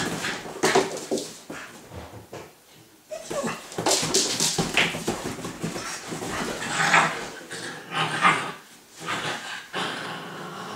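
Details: Two puppies playing indoors, a six-month-old Staffordshire bull terrier and a Staffordshire cross husky: repeated high whimpers and short yips mixed with scuffling and patter of paws in a small room.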